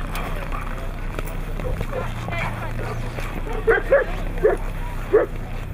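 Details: Siberian Husky filmed in Nizhny Novgorod on 3 February 2017, the day of a competition; a run of short, sharp barks near the end, over steady low hum and a person talking.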